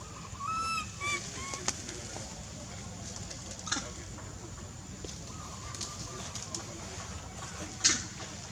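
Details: Baby monkey Lizza, living wild in the forest of the Angkor Park area, crying loudly to call her mother because she is hungry: a short, clear, tonal wail early on, then fainter wavering cries over a steady hiss.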